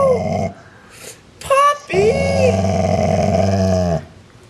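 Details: Part-Rottweiler dog indoors growling at another household animal, a sibling, trying to push it down the pecking order; a low, rumbling, pulsed growl of about two seconds follows a person's brief talking and a higher vocal sound.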